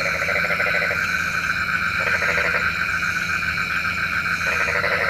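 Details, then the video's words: Frogs at night, said to call the rain: rapid pulsed croaking in three short bursts, about a second each, over a steady ringing background chorus. "SUARA KODOK KATAK | Panggil Hujan"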